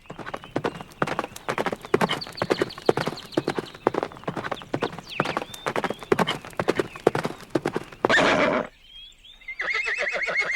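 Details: Horses, described as calm, playful or excited and alert: rapid, uneven clopping hoofbeats fill most of the clip, then a short harsh burst and a pulsing, harmonic whinny near the end, with faint chirping birds.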